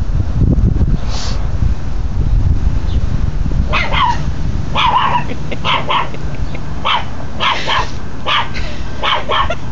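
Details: Pet dog Tucker barks at the neighbours. After a few quieter seconds, loud clustered barks arrive in quick succession, some in rapid pairs and triplets, against constant low background rumble.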